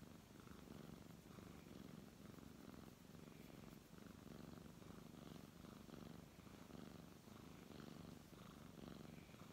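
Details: Low, even purr from a brown tabby cat being petted, with soft breath-paced surges roughly every second and faint rustling of hands on fur.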